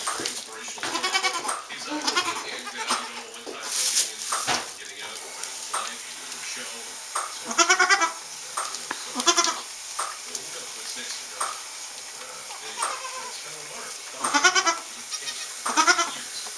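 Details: Newborn Saanen/Alpine kid goats bleating on a hobby farm in May 2012, just after their birth. Short quavering bleats come in scattered bursts about nine times a minute, mixed with people talking and background music.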